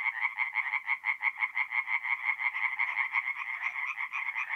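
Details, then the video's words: Nighttime forest pond in north-east Italy in mid-April, where tree frogs sing a quick, rattling series of nasal pulsed croaks, about three per second, loud and close, in an otherwise quiet setting. "relaxing forest pond by night with singing tree frogs"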